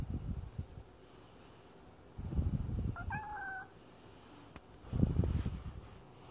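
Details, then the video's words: Chatty male pet cat talking: a single harmonic meow near the middle, flat then slightly falling, amid low rumbling handling and outdoor noise. "A very chatty cat."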